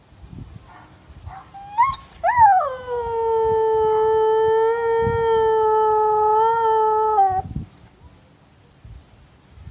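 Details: A Siberian husky in Madison, Wisconsin, hears a neighbour dog barking down the street and answers it with a few short yips, then one long, steady howl held for about five seconds.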